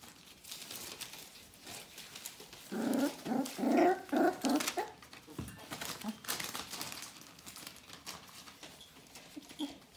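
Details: Four-week-old Bohemian Shepherd puppies of an "F" litter whimpering indoors: a burst of rapid, tonal, harmonic whines and yelps clustered over about two seconds, then softer scattered squeaks amid rustling and faint room noise.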